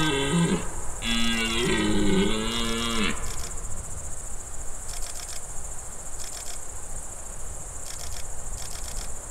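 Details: Rutting red deer in the Czech Republic, 2021, lured toward the call of an imitated hind in heat: short grunts then a sustained rough roar lasting about two seconds, followed by insects chirping in regular pulses and a constant high buzz.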